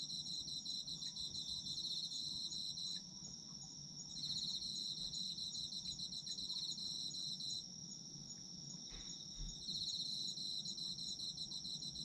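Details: Chorus of autumn insects: a continuous piercing high tone with bursts of fast, pulsing trills that come and go in three waves, each lasting about three seconds, over a soft low hum.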